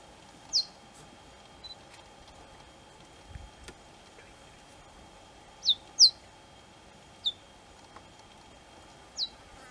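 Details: Cheetah cubs with their mother, calling to her: sharp, high chirps that sweep steeply downward, given singly or in quick pairs at irregular intervals over a steady, quiet background hum.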